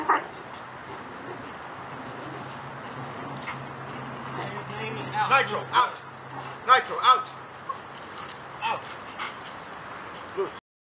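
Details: Belgian Malinois named Nitro in hard bite-sleeve training, giving a short cluster of sharp barks and yips near the middle, while a man speaks commands such as "get it", "out" and "good" over a low steady hum.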